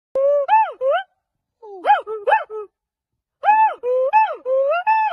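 A gibbon gives loud, hooting notes that swoop up and down in quick bursts.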